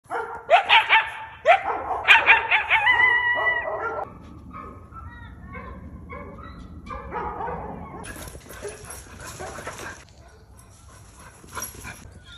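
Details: Coyote barking and yipping at neighborhood dogs, filmed on an iPhone: a burst of sharp harmonic yips and barks in the first four seconds, then fainter scattered calls, with a steady high hiss in the last seconds.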